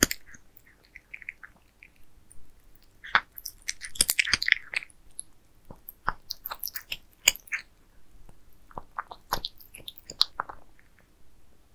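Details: Several pet cats eat towers of minced meat indoors; wet chewing and sharp clicking bites come in uneven bursts, busiest mid-clip, in a quiet small room.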